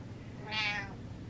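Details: A pet cat gives one short, high, bright meow lasting under half a second, rising slightly then falling away, in a quiet indoor room.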